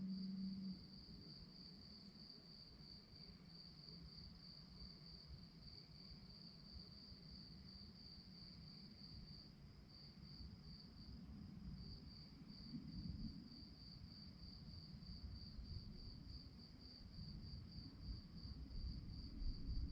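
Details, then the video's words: Crickets chirping at night: a steady, high-pitched pulsed chirping, about three and a half pulses a second, continuing with brief dips, over a constant low rumble that swells slightly near the end. "relaxing sounds of crickets"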